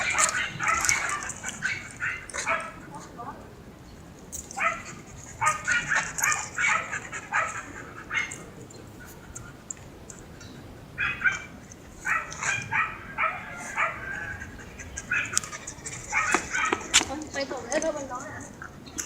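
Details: Young Siberian Husky Mero, taken for a relaxing walk by its owner, a female student, produces long runs of rapid, choppy yelping whines in bursts, pausing between runs, over constant high-pitched background hiss and occasional clicks.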